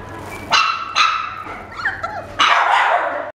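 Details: White male Bichon Frise puppy born 14 April 2016, kept in a pet shop, giving three sharp high yaps, the last one longer, with a soft whine between them.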